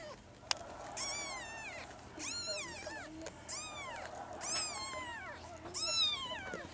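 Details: Kittens recorded on 16 April 2013, several high-pitched meows rising then falling in arched sweeps, about six calls in quick succession, some overlapping as if from more than one kitten, over a quiet low hum.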